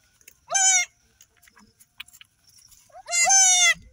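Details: Newborn goat kid on an off-grid homestead, one of three females just delivered, calling after birth near its mother; two loud, quavering bleats about two and a half seconds apart, otherwise quiet.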